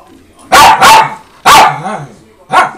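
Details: Loud close barking from a home with four rescue Min Pins, including ten-year-old Daytona, and a Doberman: two rapid harsh barks, a third after a beat, and a last one near the end.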